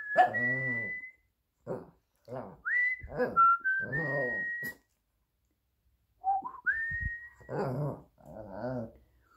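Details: A Shih Tzu named Minnie, who likes to howl along when her owner whistles or sings, howls in wavering, whiny bursts, trading turns with a person's high, steady whistling.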